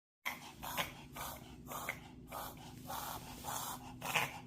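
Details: A dog reverse sneezing, possibly triggered by pollen allergy, gives a quick run of harsh, wheezy snorts drawn in through the nose.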